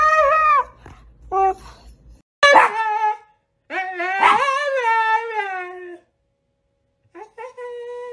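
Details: Siberian Husky 'talking' indoors: short whines and drawn-out, wavering howl-like yowls with rising and falling pitch, broken by pauses, a person's voice briefly heard at the start.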